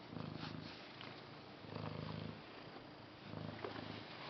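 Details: Purring house cat, a deep steady rumble rising and falling in three long breaths, each inhale-exhale cycle lasting about a second and a half, in a quiet room.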